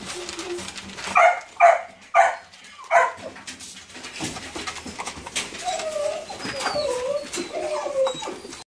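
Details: Doberman puppy giving four short, high whining yelps in quick succession, then softer, lower wavering whimpers and faint thin squeaks, with light background noise.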